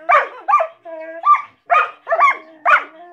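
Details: Two collies barking at each other: six sharp, harmonic-rich barks in just over three seconds, several about half a second apart, with a steady whine-like tone running between them.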